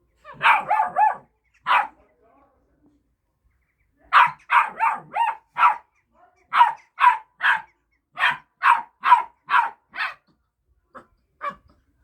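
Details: Young Kangal dogs squabbling over a bone: rapid bursts of high, shrill yelping barks in quick runs of three to five. There are short pauses between bursts, then a couple of softer yips at the end.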